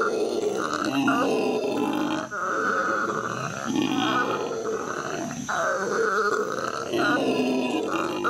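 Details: L.A. Zoo howler monkeys in May 2014 give a sustained, throaty howl. The rough, buzzing roar pulses in waves and drops briefly twice before surging again.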